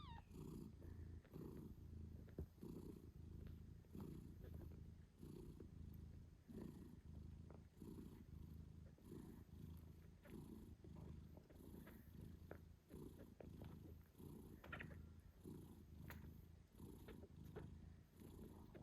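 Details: British Shorthair mother cat, Moon Stone, purring loudly while nursing her eight-day-old kittens; a steady, deep rhythmic rumble fills the recording, with faint kitten squeaks and soft rustling over it.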